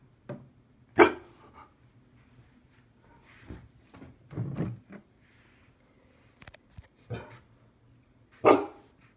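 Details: Akita, a 96-pound dog, barking while being shown a coyote decoy on 20 June 2020; two sharp, loud barks, one near the start and one near the end, with quieter muffled sounds between and a person's voice nearby.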